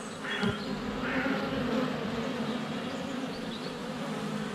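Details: Honey bees crowding the air at their hive entrance in February sunshine, recorded on a GoPro less than a foot away; a dense, humming buzz with shifting wingbeat pitches and a faint chirp at the start.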